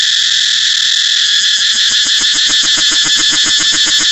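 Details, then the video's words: Cicada song, a piercing high buzz that develops a regular pulsing beat of roughly four throbs per second partway through. "cicada เสียงจั๊กจั่น"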